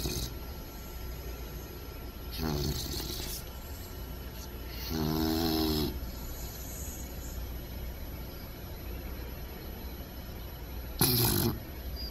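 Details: Sleeping puppy snoring in uneven bursts: a buzzy, rattling breath, then a longer droning one, then a sharp hissy snort, over constant low hum.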